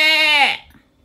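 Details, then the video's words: Domestic sheep bleating, a sound sheep make when hungry, looking for a lamb or showing off: one wavering, nasal bleat of about half a second that drops sharply in pitch at the end, then silence. "Beh, bah, beh Real Sheep Sound Effect"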